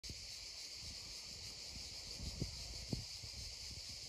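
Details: Cicadas droning beside a babbling stream, a steady high-pitched hiss holding unbroken throughout, over low rushing water with a few soft knocks or splashes near the middle.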